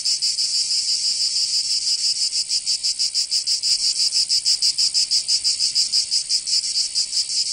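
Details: Cicada song in a Provence summer, south of France: an intense, high, sizzling drone with fast pulsing, about three pulses per second, swelling and easing slightly, no other animals or noises.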